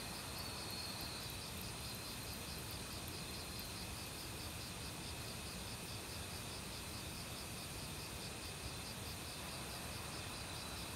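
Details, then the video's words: Crickets singing in an autumn forest among many other insects, a steady train of fast pulsed chirps layered over an unbroken high-pitched ringing tone, with the broad hiss of flowing stream water filling the background. "가을 귀뚜라미 소리"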